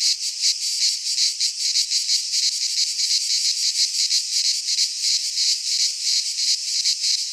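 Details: Cicadas in midsummer in a pine forest of Greece produce a steady grating whir, rhythmically swelling in quick beats around three per second, with nothing else audible.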